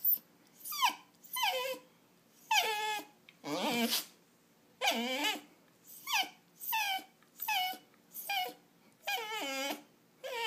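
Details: Restless house dog wanting a walk, food or attention, whimpering insistently: high, falling, nasal whines repeated roughly every second, some breathy and some wavering, in a quiet room.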